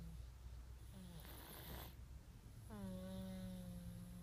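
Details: Snoring from a cat asleep, captured with an iPhone 5s: a short airy rasp, a pause, then a sustained buzzing nasal drone held steady for more than a second over low background hiss.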